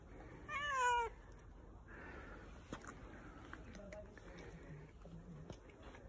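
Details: Fluffy stray cat, fed by a volunteer, sitting on a person's lap and showing affection; one clear, drawn-out meow that rises then falls, followed by quiet room noise and faint clicks.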